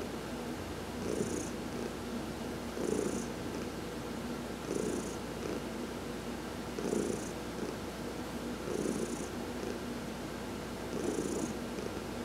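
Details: Massage during a sun bath sets domestic cat Heidi purring, November 19, 2020; a low, throaty, unbroken purr pulsing louder about every two seconds, accompanied by faint high airy whooshes at each pulse.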